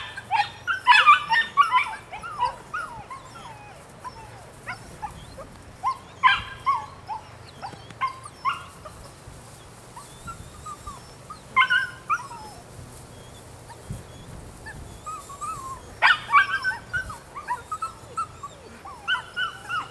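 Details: Young female puppy, nine weeks old, Rodin/Katana, mixing thin high yips with drawn-out whimpers in scattered clusters over a long stretch, separated by quieter gaps with light background hiss.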